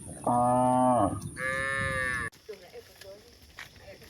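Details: Cattle walking over a hill give a rich, strongly harmonic moo, then a higher, strained call, before it cuts to quiet, faint background sounds.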